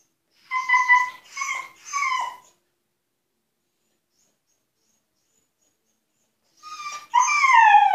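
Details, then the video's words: Husky named Altezza shut in an enclosure as punishment, demanding to be let out: three high whimpering whines, a long pause, then a rising, wavering cry, indoors. "Хаски требует свободы"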